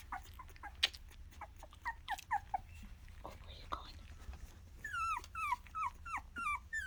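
Several Miniature Australian Shepherd puppies give short, high yelps and whines, many sliding downward in pitch, then a run of repeated squeals. A person's voice murmurs faintly underneath.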